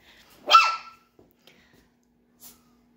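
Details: Chihuahua puppies at eight weeks old: a single sharp, high-pitched yip that bends down at the end, then a few faint soft clicks and a brief rustle in otherwise quiet surroundings.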